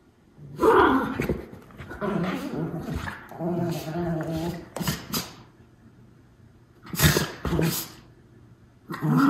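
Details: Two Miniature Schnauzer brothers at play indoors; a snort-like puff, then a wavering growl, followed by sharp breathy huffs and scuffling bursts near the end.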